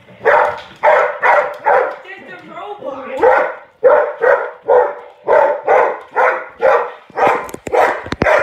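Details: Springer spaniel indoors confronting a robot toy it believes is real: steady run of sharp, loud barks roughly every half second, a short whining, grumbling stretch early on, and clicking noises near the end.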